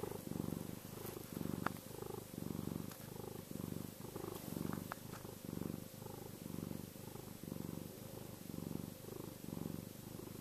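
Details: Contented purring from Chester the house cat, deep and buzzy, pulsing in regular waves roughly once per second across about ten breaths, the background otherwise quiet.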